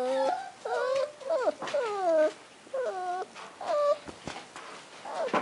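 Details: Young male Toy Poodle puppy, cream and white coat, giving a run of plaintive whines: short tonal cries that bend upward then dip, about one per second, with brief quiet gaps between them.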